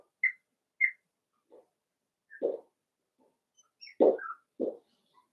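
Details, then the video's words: Playing Cavalier King Charles Spaniel puppies raised indoors in a home pen give brief high whistled whines, then louder rough yaps and squeaky yelps, irregularly spaced over a few seconds. "Cavalier Puppies Live: Puppies Playing"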